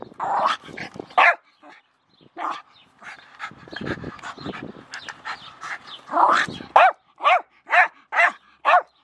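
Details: Jack Russell Terrier Milo and a shovel: clattering, scuffling noises and scattered yips give way to a steady closing series of five sharp, clear barks about half a second apart.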